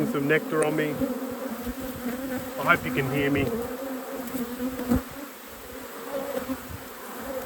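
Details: Steady droning hum of a honey bee colony, inspected in a beekeeper's apiary at peak production. The low buzz holds evenly throughout, with brief snatches of human speech near the start and middle.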